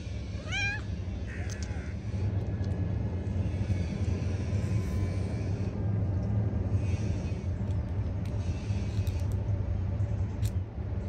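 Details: Stray street cats, including an exceptionally fluffy one, being fed; a single short, clear meow sounds early, then a steady low rumble continues with no further calls.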